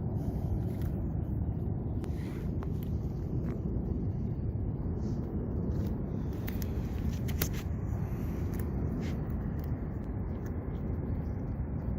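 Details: Steady low rumble like a passing vehicle or outdoor hum, with a few sharp clicks and taps scattered through it.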